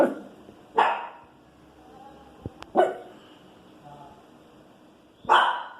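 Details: Little female Pinscher "complaining" with barks about noise outside in the street: irregular harsh barks, some loud and some softer, separated by gaps of one to two seconds over a low hum.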